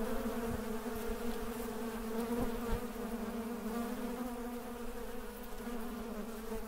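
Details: Honey bees (Apis) in Mandore Garden, Jodhpur, Rajasthan, India, on 12 February 2017, hum with a steady, low droning buzz made of layered tones.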